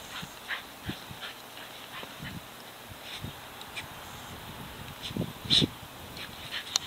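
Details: Seven-week-old Soft Coated Wheaten Terrier puppies playing in an early May snow: short, soft yips and whimpers come scattered and faint, with one louder cluster near the end, over a steady hiss and light scuffling.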